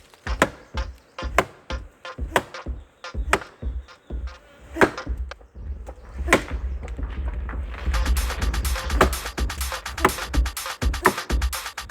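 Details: Sharp irregular chopping or striking knocks sound out, joined after eight seconds by denser rattling clatter, with no animal sound evident.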